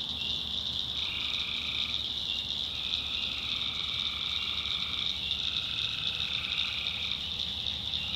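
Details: Nighttime chorus of tree frogs in North Carolina backwoods swamp, a continuous high-pitched ringing drone with several overlapping trilled calls rising and falling in turn, each about a second long.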